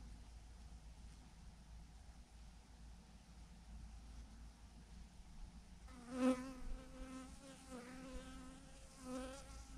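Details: Honey bees swarming in a huge clump on a branch; after a quiet low hum, several bees fly close by with sharp wavering buzzes in the last few seconds.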